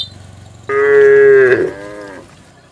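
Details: Cattle moving as a herd toward their pen in a rural village setting; one strong, steady moo starts suddenly and holds for nearly a second, then sags and fades into a softer tail, with a low rumble beneath.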